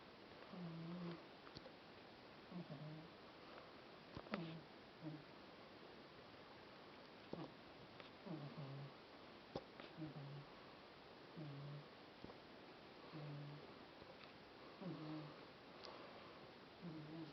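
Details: Domestic cat sprawled out in the sunshine, snoring loudly. Soft, low, nasal snores repeat about every one and a half seconds in a steady breathing rhythm, over a quiet hiss with occasional faint clicks.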